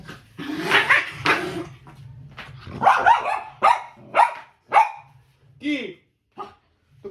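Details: Pet dog Candy barking indoors while being coaxed to come into a lap and play with a ball. A woman's voice speaks first, then a run of sharp, ringing barks comes about every half second, trailing into softer short yelps.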